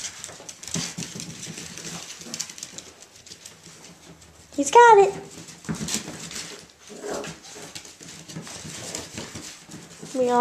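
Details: Three male Irish Jack Russell Terrier puppies, Mushroom, Portobello and Patty, playing indoors at Violet Meadow Farm; one short, high, arching yelp midway, amid soft scuffling and a woman's voice urging them on.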